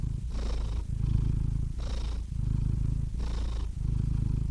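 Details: Domestic cat purring: a steady low rumbling drone broken into long phases, with three short breathy pauses at regular intervals of about 1.5 seconds marking each breath. No other sounds.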